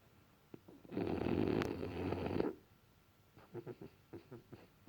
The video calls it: Sleeping frenchie snoring french bulldog